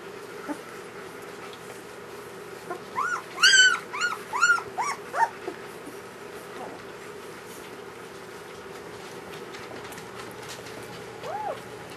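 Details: Newborn German Shepherd puppies from Ulra's first litter, whimpering: a burst of high, whiny squeals with wavering pitch between three and five seconds, then a lone soft whine near the end, over a steady low indoor hum.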